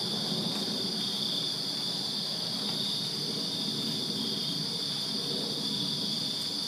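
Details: Summer-night chorus of crickets in a backyard in Virginia: constant shrill, pulsing high trill from many insects, layered bands near 4 kilohertz, over a soft low rumble of background noise.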